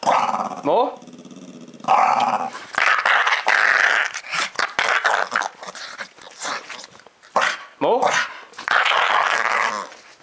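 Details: A two-year-old dog named Ozzy, recorded July 2012, growls and groans while begging for more scratching; short rising-falling vocal bends alternate with frequent human speech in a small room.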